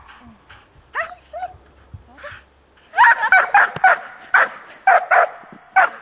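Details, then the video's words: Giant Schnauzer Thora, a female aged one year and seven months, during bitework attack training: scattered short barks at first, then a dense burst of loud, rapid barks from about the three-second mark. "Riesenschnauzer Thora attacks"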